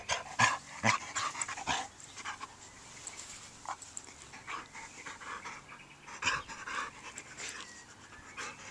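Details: Welsh Springer Spaniel named Jake, a male nearly four years old, playing with his toys in a garden. Breathy, noisy panting comes in quick, uneven bursts, roughly two per second, with louder gasps scattered throughout.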